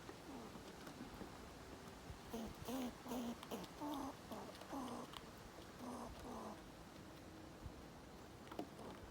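A squirrel gives a run of short, low, grunting notes to intimidate other squirrels.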